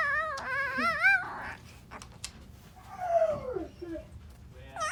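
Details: A 2-day-old Alaskan Malamute puppy tries to howl, giving a quavering, wobbling squeal, then a soft descending whine after a pause, and the start of another rising cry at the close.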